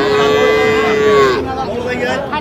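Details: Young bull calf at a cattle market in Cumilla, Bangladesh, on 14 February 2025, giving one drawn-out, steady moo that drops at the end, with buyers and sellers haggling in the busy crowd behind.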